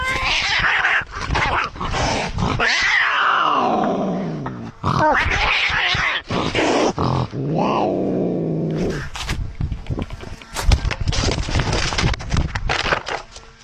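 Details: Male cat in a quarrel with a neighbouring cat: rough, broadband growls and snarls interrupted by falling, strained yowls, with scuffling and clattering noise throughout.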